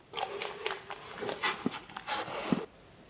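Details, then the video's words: Hunting dogs in Poland chasing roe deer during a driven hunt, baying in pursuit in a high-pitched voice. Bursts of short high yelps roughly every half second, with breaks between bursts, then quiet. "Bo na dziki to psy szczekają inaczej. Szczekają grubo, a tutaj był ewidentnie piskliwy głos i w gonie."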